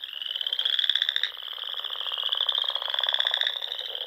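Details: Spring chorus of frogs in Nebraska's Sandhills at dusk by ponds: continuous rapid pulsed trilling, one long high trill carrying through while shorter buzzy bursts overlap it.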